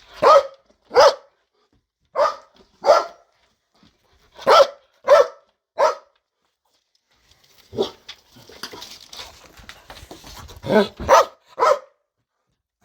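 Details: Very loud barking from a Belgian Malinois kept in a garden, said to disturb the neighbours day and night; crisp barks mostly in pairs, roughly fifteen in all, with a brief rustling noise near the end.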